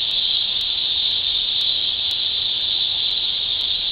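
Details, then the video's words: Loud, even, high cicada buzz fills every second without pause, accompanied by faint, evenly spaced sharp clicks. "cicada transitionals"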